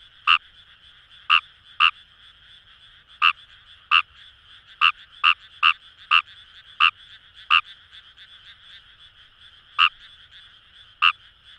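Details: Short sharp croaks of Fejervarya kawamurai from rice paddies by the Kamo River in Itoshima, Fukuoka, Japan, about fifteen pulses at uneven intervals, sometimes in quick pairs, above a continuous distant frog chorus.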